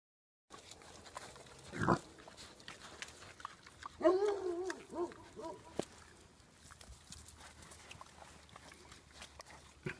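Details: Wild boar at Arroyo Frío, Cazorla, Spain, being fed by people, give a short burst of harsh, nasal grunts and squeals as more arrive. Quiet human voices nearby tell them not to fight.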